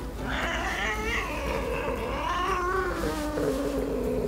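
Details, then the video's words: Female pet cat grumbling and meowing in displeasure as its claws are clipped: a strained, rising then falling whiny call that turns into a lower drawn-out growly moan over about four seconds. "귀엽게 짜증내는 고양이 모음"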